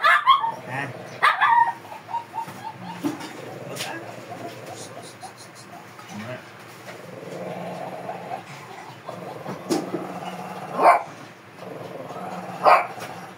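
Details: A fierce Shih Tzu being groomed gives sharp, bright barks and yelps in a short burst at the start and again near the end, with whimpering between and a person talking steadily throughout.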